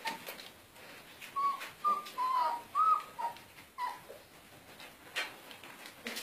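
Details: German Shepherd puppies giving a short run of high, thin whines, about four squeaky tonal notes close together, some rising and some dipping, set against soft rustling and faint background noise.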